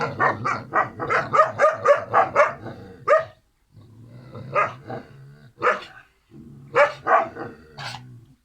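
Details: Sibling Kangal puppies Karo and Karaca let out a fast string of shrill barks, then only single spaced yaps separated by stretches of low hum.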